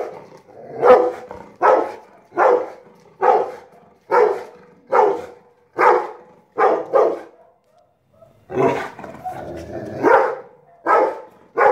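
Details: Rottweiler barking at a kite: a steady run of about a dozen gruff barks close to one per second, then a brief pause, then several more rougher, more strained barks.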